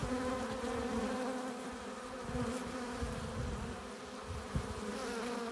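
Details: Hive entrance alive with honey bees carrying pollen and nectar: an unbroken low droning buzz of many wings, gently rising and falling, with one brief louder bump near the end.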